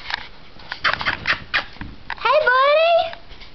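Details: A growing young male dog indoors in a dim room: a man's voice and short broadband bursts first, then a high rising whine with clear harmonics lasting about a second near the end.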